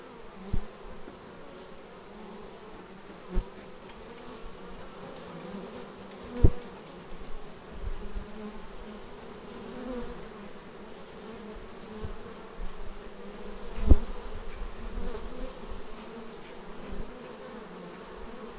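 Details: Honeybees arriving at their hive, filmed raw on an action camera: a steady low droning hum with bands near 200 and 500, broken by brief close buzzes and faint clicks as individual bees pass.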